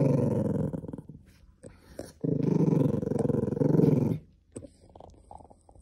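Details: Indoor cream Poodle guarding a possession and growling to keep it. A deep, pulsing rumble fades out, pauses briefly, then returns as a steady two-second snarl before trailing into softer grumbles.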